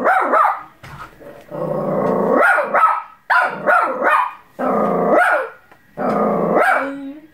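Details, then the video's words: Sky, a Bichon Frise, barking fiercely at her own reflection in a mirror, mistaking it for a threat. Loud, harmonic barks mixed with drawn-out growly yelps come in bursts of one to two seconds with short gaps. "Собака гавкает, победитель голос. Бишон фризе"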